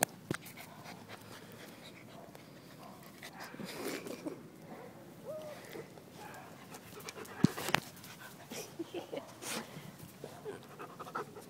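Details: Puppies at play, with soft, rapid breathy panting repeated at about two hundred breaths a minute, scattered sharp clicks and knocks, and a few brief human voices in the background.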